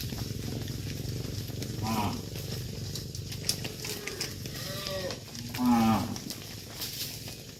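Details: Dozens of tame cattle being herded back to a farm pen; two short moos near 2 and 6 seconds stand out over a steady low rumble and background noise.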